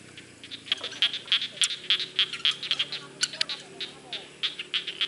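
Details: Frogs calling in a rice field: rapid, regular high-pitched clicking notes, roughly three or four per second, with a few louder overlapping bursts from other callers.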